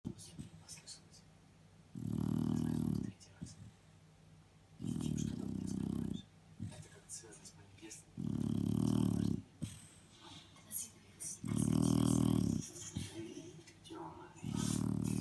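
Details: A sleeping female Shar Pei dog snoring: deep, rough, rumbling snores about a second long, repeating roughly every three seconds, five in a row, with quiet breathing between them.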